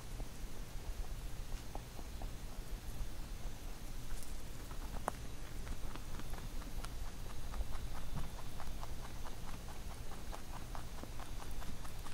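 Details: Pet rabbit eating a carrot songpyeon prepared for Chuseok; soft, faint chewing at first, then a run of quick, evenly spaced crunchy clicks in the second half over a low background hiss.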